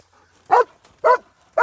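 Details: Belgian Malinois baying while hog hunting: loud, sharp barks repeated about every half second, three bursts in quick succession against a quiet background.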